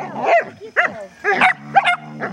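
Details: Two Border Collies, Thor and Logan, playing tug of war with a rope on an outing at Vale do Sol; low rumbling growls overlaid with sharp, short barks and yips in quick bursts.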